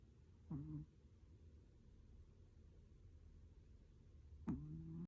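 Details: Pet puppy Lulu asleep and snoring in a quiet room, two short, low, buzzy nasal snorts about four seconds apart over a faint steady background hum.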